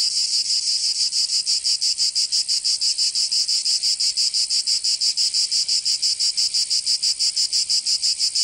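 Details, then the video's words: Cicadas calling in summer in Provence, southern France: an intense, high, grating buzz pulsing evenly about three times per second, with no pauses and no other sounds. "Canto Cigarra"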